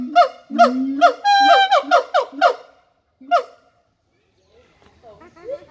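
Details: Siamang giving a short burst of calls: a low, droning boom, then a run of sharp, downward-sliding barks. After a pause comes one more bark, then fainter chattering notes.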